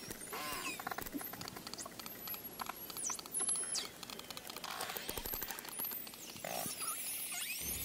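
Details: Hydrophone recording of bottlenose dolphins underwater, with high, looping whistles sweeping up and down over fast, buzzing click trains and crackling pulses, against a continuous low hiss of sea noise.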